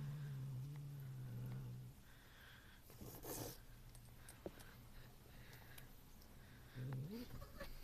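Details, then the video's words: Ronan, a cat eating cheese, growls at another cat named Muff. Low humming growl for about two seconds, a quiet stretch with rustling and faint noises, then a short rising growl near the end. "The growling cat"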